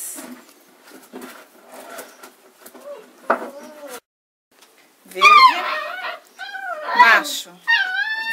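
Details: Kuvasz puppies, 35 days old, indoors while being chosen: several high, wavering whimpering cries with rising and falling pitch in bursts near the end, after people talking and naming colours such as green and lilac in Portuguese.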